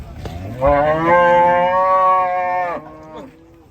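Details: Enraged cattle bellowing: one long, loud, tonal moo lasting about two seconds, holding a steady pitch before breaking off abruptly, with a faint grunt afterward.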